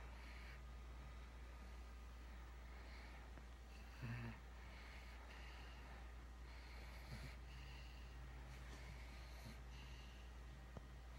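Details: Pug named Precious "Booger" snoring while asleep: quiet, low snuffling snores recur roughly every two seconds. A sharper snort comes near the fourth second. A steady low hum runs underneath throughout.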